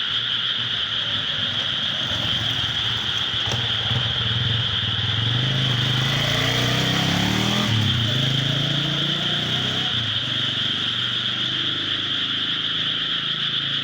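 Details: Frogs calling from rice paddies near a home, a dense, steady chorus forming continuous high trilling bands, while a motor vehicle passes with a rising and falling engine drone in the middle.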